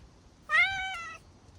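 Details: A cat gives one clear meow lasting under a second. It starts with a slight rise, then holds a steady, rich, tonal pitch and ends abruptly. The surroundings are quiet apart from a faint low hum.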